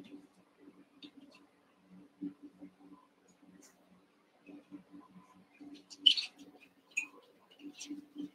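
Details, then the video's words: Cavalier King Charles Spaniel puppies, eight together in a pen, wrestling and playing; soft scuffling and low patter, then one sharp, high squeal near the end with a few thin squeaks after it over a steady low hum. "One Month Old Cavalier Puppies Wrestle and Play"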